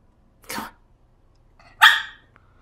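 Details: A West Highland White Terrier stuck on a ledge cries for help: two short, harsh, broadband yelps about a second apart, the second louder, with a faint whine between them and a person's voice just before.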